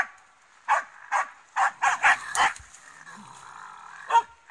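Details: Finnish Spitz facing a raccoon dog, barking in a short series of about seven sharp, ringing barks spaced irregularly, followed by a quieter stretch with a faint sustained tone and one final bark.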